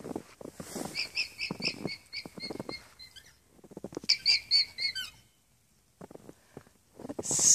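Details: Several alpacas in a pasture on an alpaca farm in Unity, Maine, alarming at a fox one morning: series of high, squeaky-toy-like calls repeated in quick bursts, with a pause, then a fresh squeaky burst and rustling noises.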